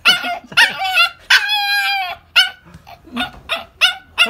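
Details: Female toy poodle barking in quick, high yelps, one long wavering whine-like bark in the middle, then softer short yips; faint low hum in the background.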